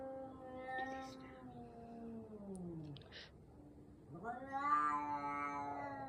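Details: Cats fighting in a backyard: long, drawn-out wavering yowls, one sliding downward and fading, then a second rising wail that holds steady and strong, with faint clicks in between.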